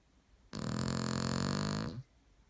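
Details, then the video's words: Aaron, a pet dog, gives one long snore indoors. The throaty, rattling rasp lasts about a second and a half and rises out of near silence. "Aaron the snoring dog boy"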